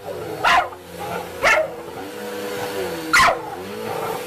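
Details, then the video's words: A dog confronting a vacuum cleaner gives three sharp, noisy barks, the first two about one second apart and the third after a longer gap, over a steady droning motor hum. "Funny Dogs vs Vacuum Cleaners"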